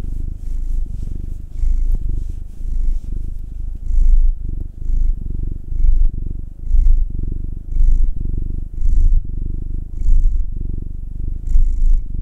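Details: Domestic cats purring loudly while being massaged: a deep, low rumbling drone that swells and fades in regular breaths roughly every second, with faint rustling on top; the cats are a nine-year-old black male and a two-year-old tortoiseshell Munchkin female.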